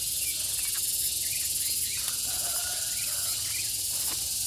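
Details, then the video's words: Gareng pung cicada producing a continuous shrill, sizzling drone with faint rapid pulsing, unbroken throughout, with a few soft background chirps. "SPECIAL SOUND IN GARENG PUNG"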